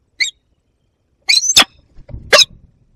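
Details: A European pine marten caught in a cage trap on a roof in the Barycz Valley, Poland, on 1 February 2022, gives three brief, high, harsh squeaky bursts, the middle one longest and rasping.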